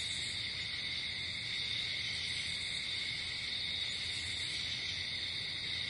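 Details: Outdoor nighttime chorus of crickets, shrill trilling layered at several high pitches and sustained without a break, a quiet low rumble in the background.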